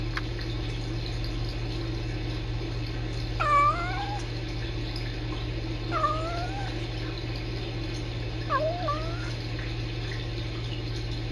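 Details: Kittens Sisko and Mila at the Tiny Kittens Society rescue, filmed by a live-streaming cam indoors, trill and talk to each other: three short chirruping calls with a dipping then rising pitch, spaced a few seconds apart, over a steady low electrical hum.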